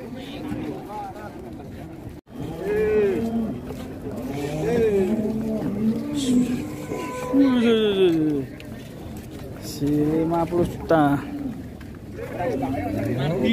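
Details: Raging cattle, one of two cows on a rampage, giving drawn-out moos that bend up and down and overlap one another, with human voices and shouting mixed in throughout.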